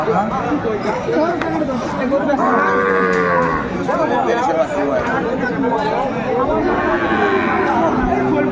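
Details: Sahiwal bull calves at a cattle market in Chittagong, Bangladesh, on 14 January 2025: a drawn-out, harmonic-rich moo near the middle and a second lowing call near the end, over constant crowd chatter and bargaining voices.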